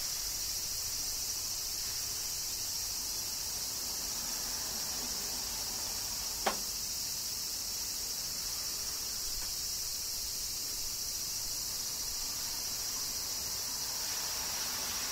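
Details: Cicadas singing during summer rain in Kyoto, Japan: a dense, steady, high-pitched shimmering drone that holds without a break, with one sharp click partway through.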